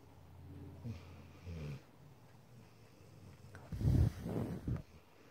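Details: Pet dog asleep while cuddling, snoring loudly in an almost human way; a low rumbling snore from about 1 to 1.8 seconds, then a louder, broader snorting rush near 4 to 4.8 seconds, with a quiet room around it.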